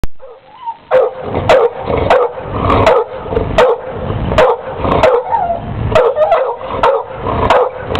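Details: A pit bull barking wildly at a pet turtle: loud, sharp barks roughly every half second to second, about a dozen in all, with some rough growly noise between them.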